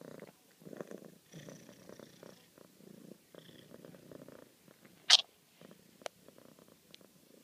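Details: A pet cat named Bella Luna purrs affectionately in short rhythmic bursts of low pulsed rumbling separated by brief pauses, with one loud sharp click midway and a fainter tap later.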